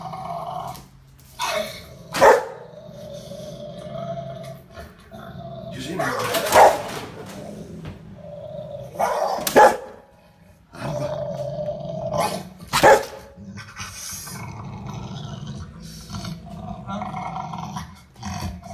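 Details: Rottweiler puppy indoors protecting its owner from an aggressive dog shown on television: four sharp, loud barks spaced roughly three to four seconds apart, with low growling and steady television sound between them.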